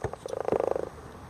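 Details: Dog imitating the sound of a platypus, giving a brief, rapid, purring trill of pulses that holds a steady mid pitch for about half a second before fading out.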